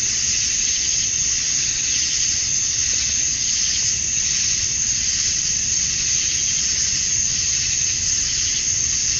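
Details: Cicadas at summer dusk in Georgia, USA, the males calling for females. A loud, continuous high whirring hiss pulses softly in waves, with no other animals or noises clearly heard.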